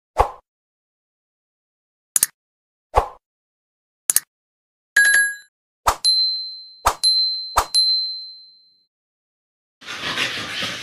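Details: Scattered ding, plop and boing effects ring out one by one, some with long bell-like tails, ending in a short burst of broad hiss.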